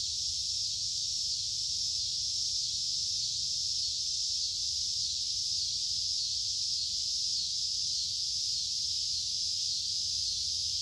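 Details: Cicadas in summer fill the air with a continuous, high, hissing buzz that never lets up.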